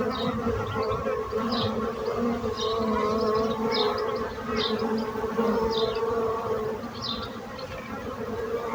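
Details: Continuous buzzing of bees, a dense droning hum holding steady throughout, with short faint high chirps scattered above it.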